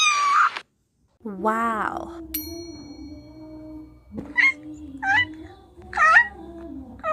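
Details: Kitten meowing in a run of short, bending meows: one falling cry at the start, a wavering call near the middle, then three quick rising-and-falling meows near the end, over a steady low musical drone.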